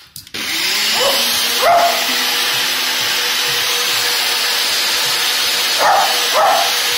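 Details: Georgie, a 14-year-old Lakeland Terrier in a board-and-train program for attacking household appliances, gives sharp barks in pairs near the start and end, over a steady, loud machine whirr.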